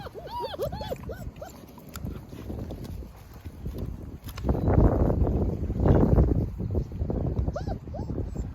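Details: German Shepherd mother with her 8 puppies; thin, high, arching whines come in quick bursts at the start and again near the end, separated by louder broad rustling and thumping noises in the middle.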